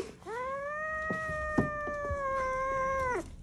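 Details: Pet cat guarding its corn, giving one long, drawn-out, steady-pitched wailing yowl lasting about three seconds, with a slight rise at the start and a drop at the end; faint background clicks.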